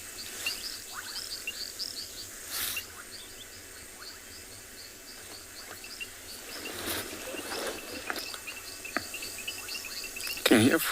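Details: Reed frogs call together near a river on an afternoon safari in South Africa on 14 October, a steady stream of short, high, clicking notes from many callers.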